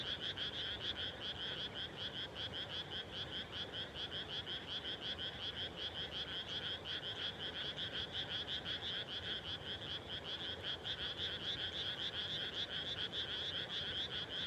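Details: Dusk frog chorus in freshly planted rice fields in rural Japan, many frogs producing steady, rapid trilling croaks that overlap into a continuous high buzz, unbroken throughout with no other sounds standing out.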